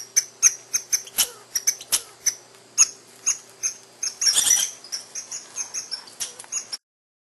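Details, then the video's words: Scolding chatter from a female squirrel apparently nursing young, a regular visitor at a house: quick series of sharp, high clicks and squeaky chirps, interrupted near the end by a short rustling burst. "madame écureuil fait la causette et rouspette"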